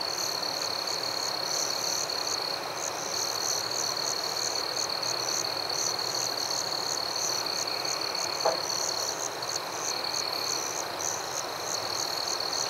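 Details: A forest cricket chorus at night: a continuous piercing trill with evenly spaced chirps above it, steady throughout, broken only by a single brief click midway.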